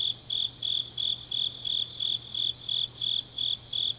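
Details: Deep-night autumn chorus of grass insects from Changnyeong, Gyeongnam, Korea: crisp, high pulsed chirps repeating roughly three times a second in a regular beat, quiet low hum in the background.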